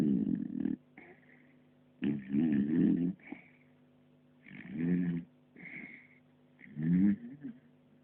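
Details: Sleeping puppy snoring, low rasping snores with a faint squeaky whistle, recurring roughly every two seconds in a quiet room, recorded on an Android phone.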